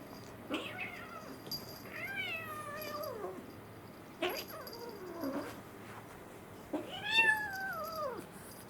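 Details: Two young kittens, an American Shorthair male and a Munchkin female born in April 2021, playing together indoors; three drawn-out meows with falling harmonic contours, plus a few short faint squeaks between them.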